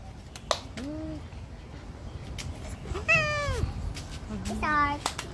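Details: A Siamese cat having its nails cut gives a few drawn-out, complaining meows while a person speaks softly.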